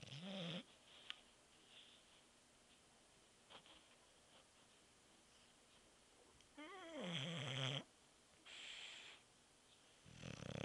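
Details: Bulldog sleeping indoors and snoring: low, wavering rattly breaths at intervals of several seconds, with quiet room noise in between.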